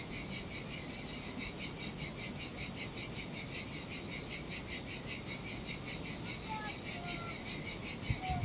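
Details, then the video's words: Cicadas by the sea in Sardinia, singing in the heat on a lonely beach: an intense high-pitched pulsing drone, regular beats about 2.5 per second, a few faint distant bird whistles near the end, and soft surf. "Ocean Waves & Cicada Sounds"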